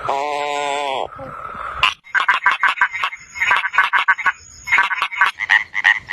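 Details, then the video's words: Frogs calling in a quick run of short, rasping pulsed croaks, several per second, after a brief steady harmonic tone at the start. "Different Sounds of FROGS"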